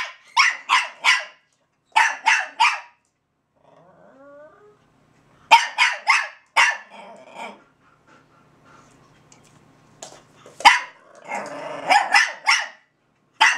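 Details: A Russian Toy and a Belgian Malinois bark at each other in turn: short triplets of crisp, high-pitched barks, a quiet whiny interlude, then renewed rapid barking ending in a dense flurry of overlapping yaps.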